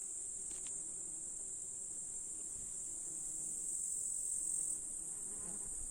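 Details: Grasshoppers singing in July in the Russian countryside among meadow flowers, hills and a lake: a dense, unbroken high-pitched hiss-like chorus that swells louder for about a second near the four-second mark, with faint low rustles beneath.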